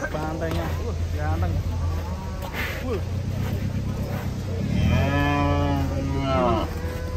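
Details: Cattle being unloaded from a truck, jumping down. Several overlapping harmonic moos, one early and a louder, wavering one late, over a steady low hum and background music.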